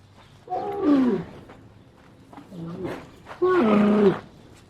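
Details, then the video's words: Camel uttering rough, gurgling groans that slide downward in pitch, two louder bursts about three seconds apart with a quieter grumble between them. "Camel Sound Effect"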